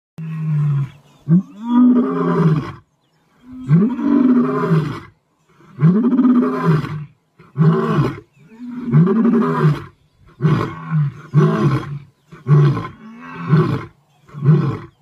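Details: Lion (Panthera leo) roaring: a run of deep, throaty roaring grunts, each lasting about a second.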